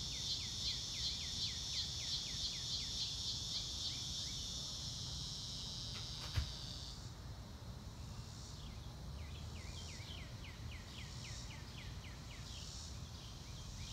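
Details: Crickets beneath clouds in a blue sky, nature sounds without music: rapid high pulsed chirping that fades halfway, with a brief click, then softer pulses and repeated quick downward bird chirps in bursts.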